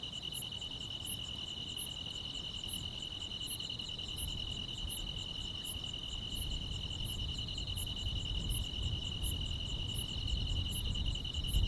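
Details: Countryside grass insects singing through a calm summer night. A constant high-pitched trill is overlaid with regular bright chirps, and a low rumbling background swells gradually louder toward the end.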